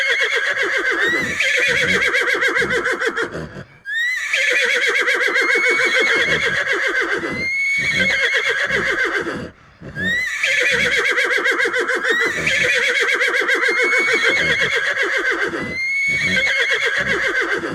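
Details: Horse whinnying in long, shrill, quavering bursts of about five seconds each, separated by brief silent pauses, with a steady pulsing tremor throughout and thin rising squeaks layered on top.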